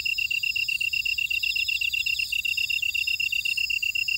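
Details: Insect chorus from a buckwheat field at Ora-dong, Jeju, South Korea: a crisp, evenly spaced high chirp repeated rapidly and steadily, layered over thinner wavering trills higher up, forming a dense continuous night-field texture.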